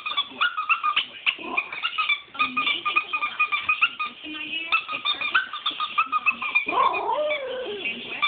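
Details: Female Shiba Inu howling, deliberately annoyed with a squeaker taken from an old toy; wavering, rapidly pulsing vocal stretches with stacked harmonics, broken by a longer rising-falling wail near the end, loud and continuous.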